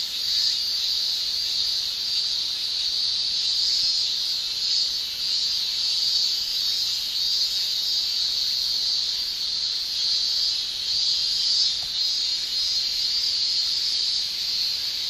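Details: Japanese summer cicadas, males singing with their tymbals, fill the air with a constant high, sizzling drone, its loudness pulsing gently every few seconds across the whole stretch without any break.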